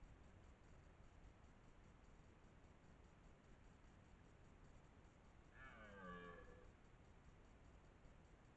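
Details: A dominant 12-point red deer stag, master of the area, gives a single deep, harsh rutting roar that drops in pitch, during the 2023 rut near Lartigau, Milhas, Haute-Garonne, France.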